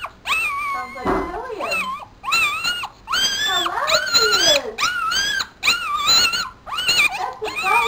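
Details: Newborn Papillon puppy, four days old, cries loudly in long, drawn-out, wavering squeals, about one each second, rising and dipping in pitch, while a woman's voice murmurs softly underneath.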